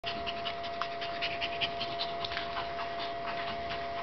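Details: Blind German Shepherd puppy playing with a Shih-Tzu, breathing in quick, breathy pants about two and a half times a second, set against a steady hiss and a constant humming tone.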